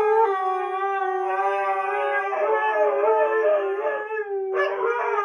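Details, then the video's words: Two pet Siberian Huskies, Sookie and Jaxx, howling against each other as each tries to get the last word in; sustained, smooth, rich harmonic howls held steadily, briefly wavering in the middle before a fresh higher entry near the end. "Husky Howl"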